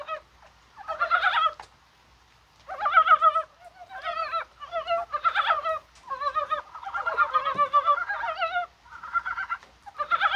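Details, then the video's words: Rain-time chorus of Dybowski's brown frogs on 21 January, likely during spawning; rapid, hoarse, wobbling croaks tumble over one another in bursts, with only brief pauses. "개구리가 울어요"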